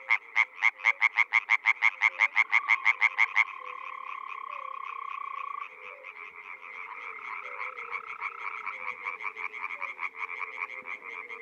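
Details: In the Czech Republic in spring, a frog near a pond or wetland gives a fast burst of loud pulsed croaks lasting about three seconds, followed by a humming, overlapping chorus of distant frogs that swells again toward the end.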